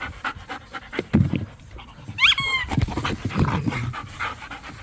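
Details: Pit bulls and a Malinois romp in a yard playing tug of war with a squeaky toy; low rough growling and panting with a single bright rising squeak of the toy midway.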